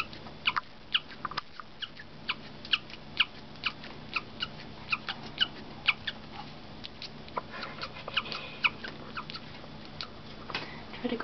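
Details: A female pet guinea pig gives its unusual chirping call: short, high, bird-like peeps repeated about twice a second in an uneven stream, with a faint low hum underneath.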